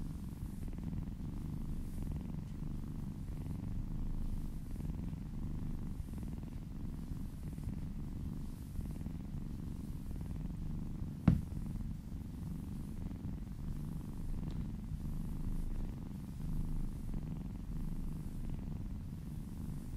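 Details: Female kitten purring while being massaged and licking down a person's arm: a soft, steady low rumble throughout, with one sharp click near the middle.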